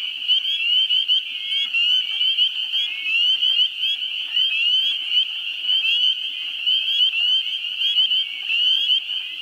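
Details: A dense chorus of spring peepers (Pseudacris crucifer) in a New Hampshire swamp in the first week of April: countless high, sharp peeps overlapping into a shrill continuous ringing, with wood frogs in the background.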